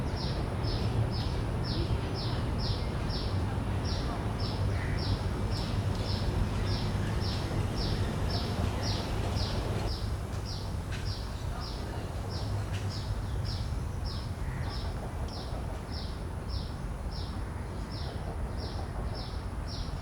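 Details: Common cicada field-recorded with Sennheiser 416 and Deity S Mic-2 shotgun microphones into a Zoom F3: short, high, raspy pulses repeated steadily about every 0.6 seconds over a constant low rumble of background noise.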